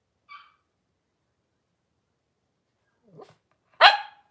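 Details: Cavalier King Charles Spaniels in a home puppy pen: Paris with her litter of five blenheim puppies, January 2023. A faint short yip, a soft low grumble, then one loud harsh bark ends the quiet stretch.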